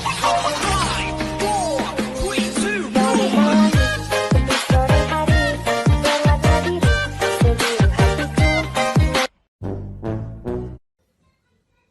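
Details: Upbeat rhythmic music with a steady driving beat and layered melody plays loudly, stops abruptly near nine seconds, gives a short burst, then falls silent.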